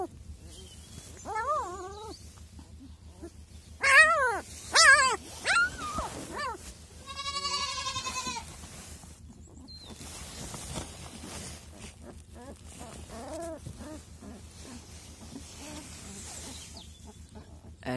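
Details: Crying week-old Kangal puppies, among them a male described as calling out. Wavering, high-pitched whines bend up and down and come in clusters. A longer drawn-out cry is followed by fainter whimpers over a steady low hum.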